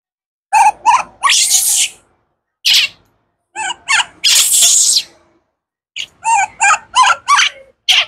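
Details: Screaming in hunger for fruit, baby wild monkey Kaka alternates quick bursts of short, wavering cries with drawn-out, raspy, breathy screams, ending in a fast string of squeals.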